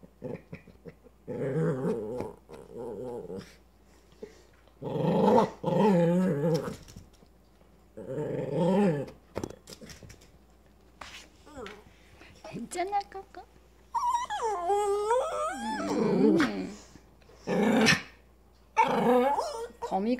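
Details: Indoors, Coco the dog reacts fearfully to a creeping spider-like toy with repeated low growls in short bursts, then rising and falling whining yelps and sharp barks near the end, with soft room noise between.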